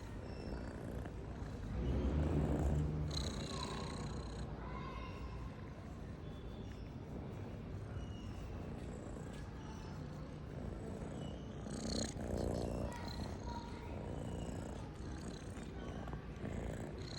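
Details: House cat purring steadily at about three to four pulses a second, a low vibrating rumble that swells louder twice, with light rustling sounds mixed in.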